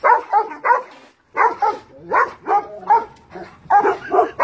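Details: Large dogs bark at a cat in a tree, overlapping harsh barks in quick pairs and triplets, a short pause after the first second, then steady barking again, some barks with a slightly whining tone.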